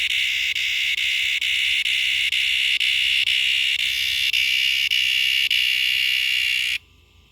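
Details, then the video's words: A cicada calls in a backyard. Its loud, continuous, high-pitched buzz carries a faint pulsing roughly twice a second. The buzz holds steady for nearly seven seconds, then cuts off abruptly into near silence. "Noisy cicada making noise in my backyard"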